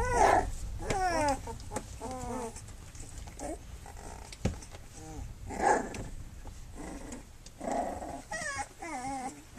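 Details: Flute's litter of pups at three weeks old, nursing and playing, giving repeated wavering high whines and little squeals in short bursts, with faint rustling between calls.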